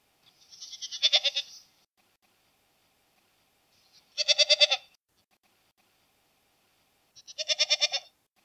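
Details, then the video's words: Goat giving three separate quavering bleats spaced about three seconds apart, each a short vibrato burst rising in loudness, with quiet gaps and no other sounds. "Ziegen Geräusch - Geräusche von Ziegen"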